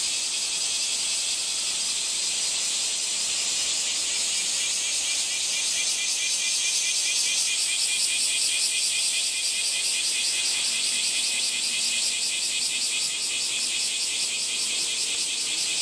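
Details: Cicada calling in a steady, shrill, high-pitched buzz with fast rhythmic pulsing, unbroken for about sixteen seconds and loudest near the middle, with no other clear sounds.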